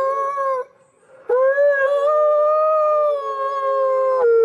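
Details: Wolf howls: a held tone cuts off, then after a short silence a new howl swoops upward and holds long and even, with a second voice layered beneath, before sliding slightly lower at the end.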